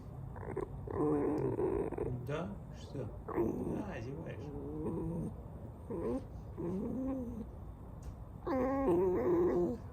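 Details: Alice, a pet fox, squeaking: wavering, nasal whines in several bursts of one to two seconds, with pitch wobbling up and down, separated by short pauses and a few soft clicks.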